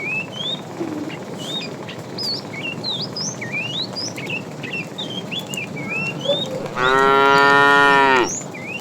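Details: Tame cattle being herded in the afternoon, a fat cow calling a female: one long, loud harmonic moo near the end, held about a second and a half, with many birds chirping and whistling throughout.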